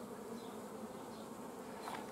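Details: Colony of honey bees in bio-hives at an apiary in Romania, 15 July 2016, at honey-flow time during extraction. Even, continuous droning buzz throughout, with a faint brief rise in the hum toward the end.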